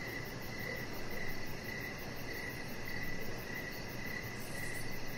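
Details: Outdoor evening ambience of crickets near a deck with a chihuahua puppy. Regular short chirps roughly every half second ride over a constant high-pitched buzz and dense low-frequency background hiss.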